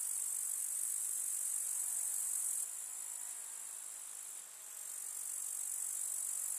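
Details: Constant high, sizzling chirr of many grasshoppers in a countryside summer meadow, loud at first, then dropping a little in volume and briefly fading before swelling back, with no other animals clearly heard.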